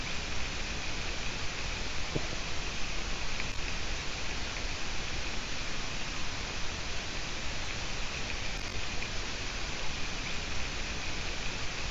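Steady broadband hiss like rain or wind noise, with no animal calls heard.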